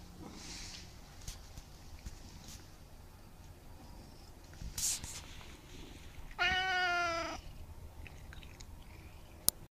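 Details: A fat Siamese cat gives one drawn-out, nasal meow, rich in overtones, after a quiet stretch.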